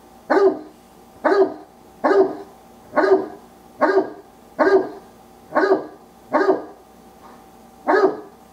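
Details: Pet Old English Sheepdog named Wallace voicing what is on his mind with nine steady, evenly spaced barks, roughly one per second, each clipped and full-bodied against a quiet indoor background.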